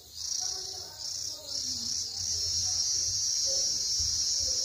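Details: Cicadas (Cicadoidea), whose males sing during the warm season: a steady, piercing high-pitched buzz that stutters briefly near the start, then runs on unbroken, with faint low background noise.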